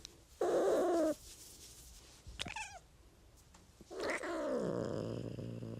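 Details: Cat meowing: a strained, slightly rough meow, then a brief quavering chirp after a pause, and finally a longer meow that slides downward and fades into a low, continuous hum.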